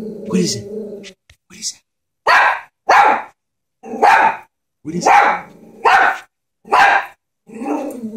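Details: Chihuahua afraid of a stuffed toy horse growls briefly, then fires off a run of loud, sharp barks roughly every second, ending in another low growl.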